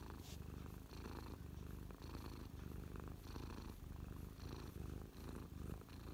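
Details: Mia, a contented domestic cat on a lap, 12/12/2023, purring close up; rhythmic low rumble clearly split into breathing cycles about once a second, alternating in and out.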